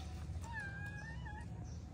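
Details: Tortoiseshell stray cat in Morocco, jealous and wanting affection like a white cat, gives a long drawn-out meow, steady then slightly rising, over constant low rumbling background noise.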